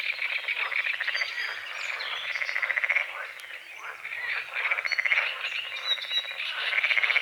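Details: Frogs croaking at dawn over a small lake beside a forest, repeated pulsed rattling croaks in bursts separated by brief lulls, against a dense chorus with faint bird calls.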